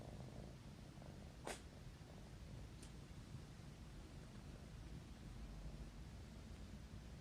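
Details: Kitten asleep and purring. A continuous low, soft rumble fills the recording, broken by two brief sharp clicks near the start.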